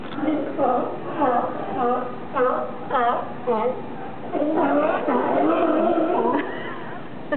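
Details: Sea lions lounging on a raft in Monterey, California, calling in a busy chorus of hoarse, honking barks that rise and fall, repeated in quick bursts, with several animals overlapping toward the end.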